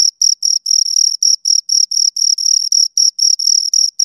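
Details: Two crickets chirping, a steady run of short high-pitched pulses repeated about four times per second, each pulse a narrow tone with a fainter higher overtone, silent gaps between pulses and no other sounds.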